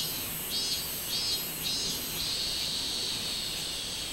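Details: Robust cicada singing, recorded 24 July 2016: high, buzzy pulses repeated roughly every 0.6 seconds, merging into a steady shrill drone, over a constant high-pitched insect hiss.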